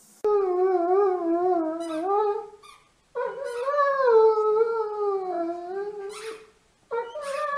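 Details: Great Dane howling in long wavering tones, two drawn-out howls with a short gap, then a third starting near the end; steady harmonic voice slowly falling in pitch.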